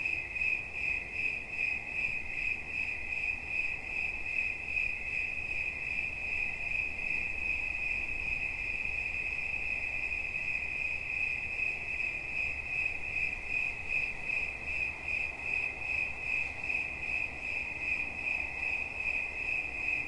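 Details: Twenty seconds of a cricket's sustained high-pitched chirping, rhythmically pulsed at around two and a half beats per second, with steady low background noise.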